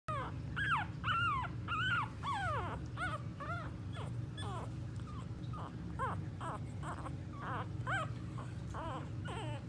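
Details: Staffordshire Bull Terrier puppies from one litter, recorded 9-5-18, give high, squeaky whimpers that slide up and down over a low steady hum.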